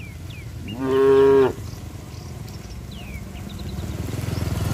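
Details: Tame cows run to their shed in the rain; one cow gives a single loud, steady moo that holds one low pitch before cutting off. Cow (Bos taurus).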